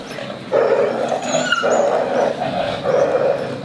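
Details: Friendly street dogs playing and quarreling, loud snarling growls come in rough bursts after a half-second lull, pulsing roughly every second, with a thin high squeal mixed in.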